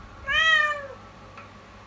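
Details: Domestic kitten meowing insistently one morning, its voice startlingly fearful: a single clear, drawn-out meow, steady then sliding downward at the end, over faint room hum.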